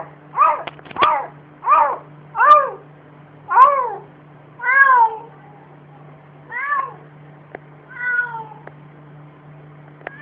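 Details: Barking cat giving eight drawn-out, arching, meow-like cries at uneven intervals, the later ones softer, with a few faint clicks and a steady low hum behind.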